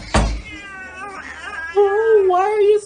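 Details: Cat upset that another cat has joined the household, giving a drawn-out whiny meow that wavers in pitch after a brief knock, with a woman speaking around it.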